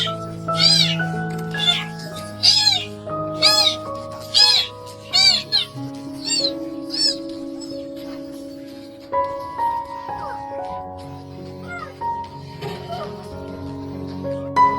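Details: Stray kitten rescued from drowning in the countryside and now following its rescuer gives a quick series of about seven high, arching meows over the first six seconds, then fainter calls, all over steady background music.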